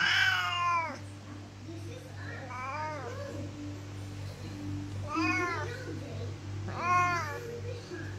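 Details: Siamese cat (Felis catus), meow: asking to be let out of the room.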